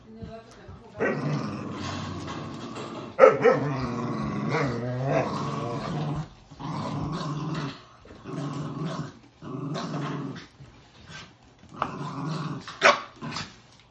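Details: Playful husky puppy in a tug-of-war game with a poodle mix, giving a series of harsh growls in separate bursts of one to two seconds, some rising into sharper snarling yelps, with short silent gaps between.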